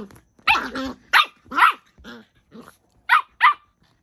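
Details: Miniature Pinschers Bonnie, a merle-coated female, and Draco, a chocolate male, fight for dominance: a run of sharp, high, snappy barks and yaps in quick separate bursts, some paired, with short silences between them.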